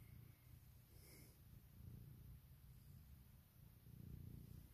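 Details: Loud purr from Puk, a female house cat seeking morning cuddles and kisses after waking her owner with her whiskers; a deep continuous rumble, pulsing with each breath and growing stronger toward the close.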